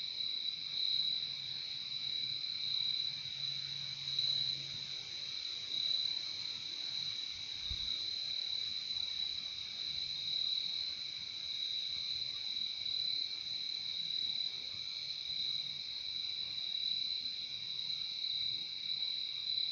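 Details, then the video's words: Night chorus of crickets, a continuous shrill high-pitched trill that never pauses, a lower accompanying band, one brief low thump near the middle. "Relaxing sound of crickets"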